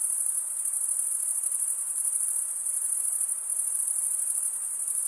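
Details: Stridulating crickets, mostly males, chirp by running one wing across a comb-like vein on the other, making a dense, piercing, high trill that never pauses, evenly loud and unaccompanied.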